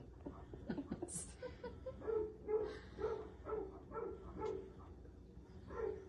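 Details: Fred the basset hound, during visits from his deer friend, gives a run of short nasal yelps, evenly spaced about twice a second, each with stacked harmonics, after a brief high squeal near the start.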